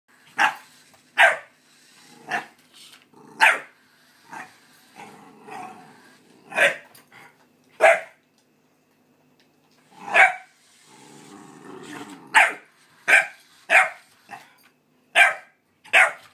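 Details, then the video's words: Dog barking on meeting another dog, sharp separate barks at an uneven pace with softer growling and rumbling between bursts, picked up through a pet camera. "Earth Dog and Alien Dog Meet!"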